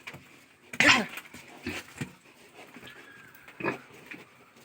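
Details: Pig on a starting farm in 2020 keeping Landrace, Hampshire and local breeds: one loud harsh squealing grunt, then two shorter rough grunts roughly a second apart, with a noisy, hissy background.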